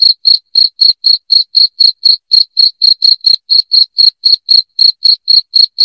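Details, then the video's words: Cricket calling loudly, meant to repel rats indoors: a brisk, even series of shrill chirps, roughly four per second, with nothing else audible. "SUARA JANGKRIK NYARING PENGUSIR TIKUS"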